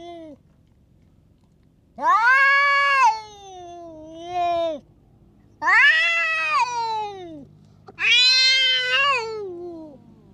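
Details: A tough stray cat lashing out at every cat nearby: three drawn-out, wavering yowls, each rising sharply then sliding and warbling downward, about three seconds apart, with short softer tails between, over faint low background noise.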